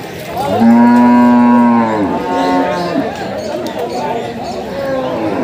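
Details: Water buffalo at a livestock market, giving birth to a female calf in difficult conditions; one long, steady, deep moo with rich harmonics lasts over a second, then a shorter, falling moo follows, with crowd murmur behind.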